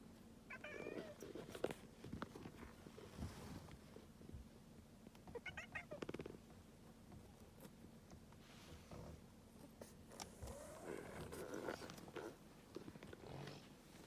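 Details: Domestic cat making an unusual vocalisation: three soft, wavering meows spaced about five seconds apart, set against steady low hum and broadband background noise in a small room.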